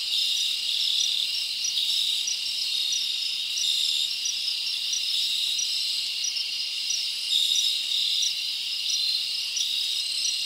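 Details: Summer night in the forest with crickets chirping, a thick, steady high buzzing chorus layered with short repeated pulsed chirps and a few brief brighter notes.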